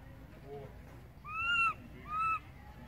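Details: Crying baby monkey calling for its distant mother: two loud, tonal wails, each arching up and down in pitch, the first slightly longer, with quiet background noise between them.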